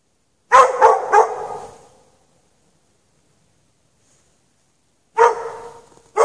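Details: A dog left chained in the snow for hours at night barks in two bursts: a quick run of three loud barks, a long silence, then another pair of barks.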